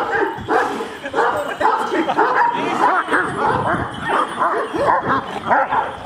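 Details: Aggressive Kangal dogs barking at each other, rapid overlapping barks and yelps from several dogs, with a man's voice speaking Turkish in the background.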